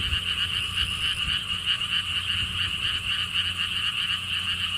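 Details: Frogs calling at a lotus theme park in Siheung, Korea, beside a stone wall path: a dense, steady chorus of rapid pulsed croaking trills, about four pulses a second, over a low rumble of wind.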